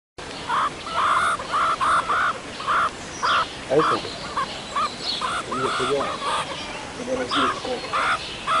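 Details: Meerkats at ZOO Liberec, three pups born 24 January on their first trip outdoors in cold weather, the parents warming them: short mid-pitched calls repeated in quick irregular series, about two per second, with faint background noise.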